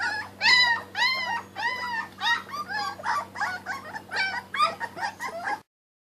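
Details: Raw-fed Kuvasz puppies eating raw food in 2013: a run of high, bending whimpers and yips, about ten in six seconds, each richly layered with overtones, ending in silence.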